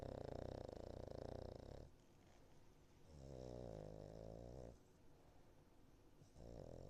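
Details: Niko, a Cavalier King Charles Spaniel in foster care, snoring in her sleep. A rough, rumbling snore is followed by a softer breath, then a smoother, more tonal snore and the start of another.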